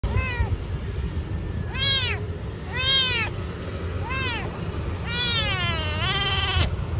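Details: Hungry cat meowing repeatedly, a series of five or six clear, arched meows rising then falling in pitch, spaced about a second apart, the last ones drawn out and wavering, over a low background rumble.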